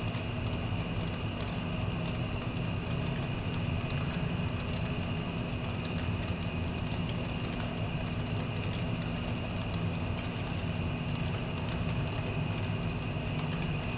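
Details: Crickets trilling continuously in the wake of a passing storm, a bright even high tone that never breaks, layered over the broad low drone of an air conditioner.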